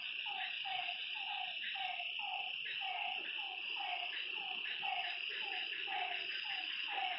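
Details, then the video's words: Frogs at a lake by night, repeating short, slightly sliding notes roughly every half second, with a second caller's fainter notes weaving in, all over a steady insect whine. "Lakeside night creatures and frog sounds"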